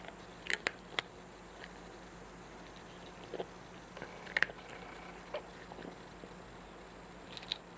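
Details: Cat chewing its food: sharp, dry crunches come in short clusters of two or three bites with brief pauses between, over a faint constant room hum.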